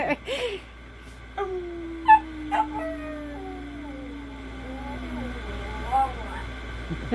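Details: Bently, a pet miniature pinscher, howls along with a person: a long smooth tone sliding slowly downward over about four seconds, followed by shorter wavering howls, with laughter and music at the start.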